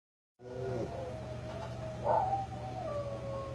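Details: A dog howling: one long, drawn-out tonal howl that holds steady, swells and rises briefly near the middle, then lifts again before sliding lower toward the end, over a constant low hum.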